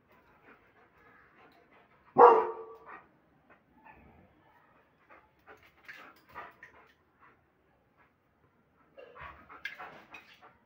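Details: Aggressive German Shepherd gives one powerful, rough bark, followed by quieter scattered sounds and a short cluster of softer noises near the end.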